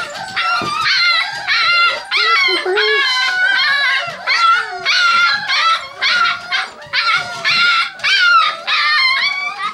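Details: Six-week-old Kerry Blue Terrier puppies wanting out of their whelping box: a chorus of high, wavering howls and whimpers in repeated overlapping bursts.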